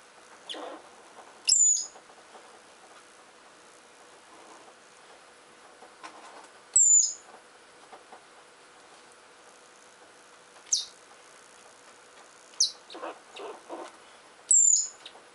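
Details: Richardson's ground squirrels squabbling as they dig give piercing, thin whistled chirps that slide downward, five of them over fifteen seconds at uneven gaps, mixed with soft scratching and rustling of earth.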